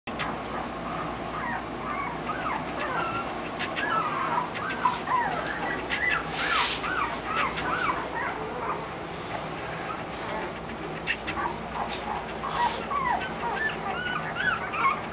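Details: A litter of Olde English Bulldogge puppies from Cleo and Kingston, crying together in many overlapping high, wavering whimpers and squeaks, rapid and continuous throughout, with a brief burst of rustling noise midway.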